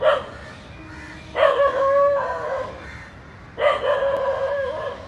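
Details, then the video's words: Dog barking on seeing two snakes intertwined, giving three drawn-out, howling barks spaced roughly two seconds apart, each sliding slightly downward, over a steady background hiss. "A Dog Is Barking Seeing Two Snakes Hugging"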